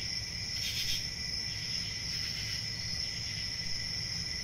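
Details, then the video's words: Continuous shrill cricket trilling holds a high steady ring. One brighter pulsing burst comes early, then a softer swell, over a quiet low background hum. "Cricket Sounds"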